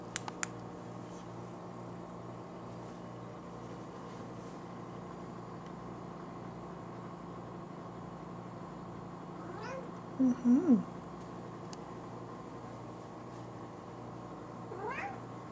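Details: Buddy, a pet cat indoors, gives a short pair of low wavering meows about ten seconds in, with a faint further call near the end; otherwise quiet room hum.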